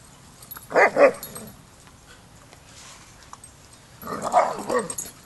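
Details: Dog barking at a Border Collie boot camp, where a young pup named Rammstein has his first lesson with the pack: two short pairs of mid-pitched barks about three seconds apart over quiet background hiss.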